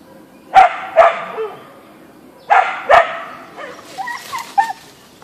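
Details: Boeing the Siberian Husky (Ausky) facing a deer in a backyard gives two pairs of sharp barks, then softer higher whining, yelping sounds at the end.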